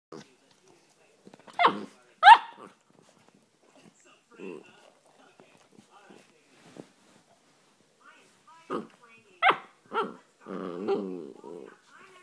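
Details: Three-month-old female Basset Hound puppy, hyper and playing with a brush, gives short sharp barks in pairs, near two seconds and again near nine to ten seconds, between quiet gaps, with a person talking and a growly vocal stretch near the end.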